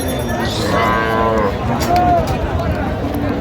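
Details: Cows with calves for sale at Raniganj cattle market, Dinajpur, on 20 October 2025; one short moo with a rising then falling harmonic tone over a busy crowd and men's talk.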